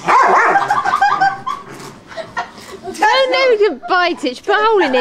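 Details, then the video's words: Pet dog going wild on a trampoline, giving a run of loud, arching yelps that rise and fall, packed close together in the second half, with people talking over the start. "DOG GOING MAD ON TRAMPOLINE."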